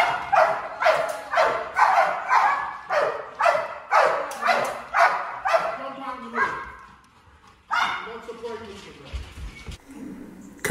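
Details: Malinois in a breeding program under bark training, encouraged to bark as a warning; rapid, evenly spaced barks for about six seconds, then quieter whines and a short human voice near the end.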